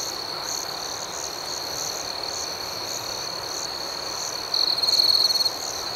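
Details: High, steady nighttime cricket chorus with rhythmic pulsing, joined near the end by a louder, rapid trilling burst lasting about a second.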